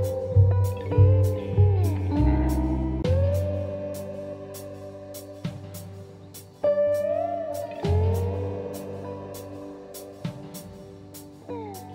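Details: Slide guitar music with plucked strings and bending notes; no animal calls are heard.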